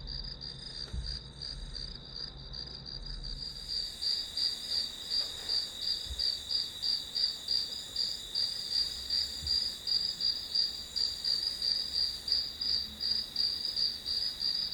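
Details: Grass insects singing in steady high-pitched pulsed chirps, about three per second, which grow louder and more even after the first four seconds; a few faint low thumps occur early on.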